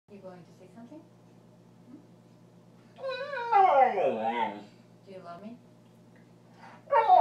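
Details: Male pet border collie talking back, arguing as if explaining his point of view: one loud drawn-out whine-howl that slides steeply downward, surrounded by softer murmuring vocal sounds and a brief rising cry at the end.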